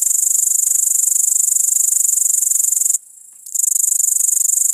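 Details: An iPod touch 5 recording of a great green bush-cricket, Tettigonia viridissima: steady high sizzling trill of fast pulses, halted by one brief silence near the middle before continuing.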